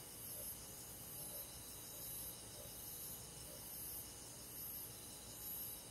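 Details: Summer-night chorus of crickets and forest insects, continuous high shimmering trills stacked in several bands, topped by a piercing pulsed note recurring roughly every second, steady and unbroken throughout.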